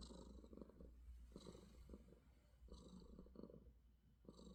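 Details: Affectionate house cat purring in the morning, close and rumbling, with three or four breath cycles of low buzzy vibration separated by short softer gaps.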